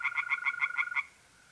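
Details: Pond tree frog at night in mid-April, north-east Italy, giving a quick burst of about seven harsh, evenly spaced pulses that stop abruptly, while the level, unbroken trill of a mole cricket carries on behind.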